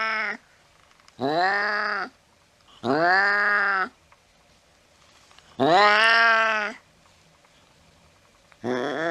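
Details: Cat calling late at night while chasing a mouse: a run of loud, arched, nasal meows, each about a second long, repeated roughly every two seconds with near silence in the gaps.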